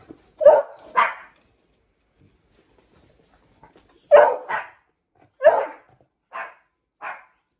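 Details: Pomeranian Hendo, ten months old, and beagle Salto learning to ring a bell indoors: two pairs of loud barks a few seconds apart, then softer single yaps, over a quiet room.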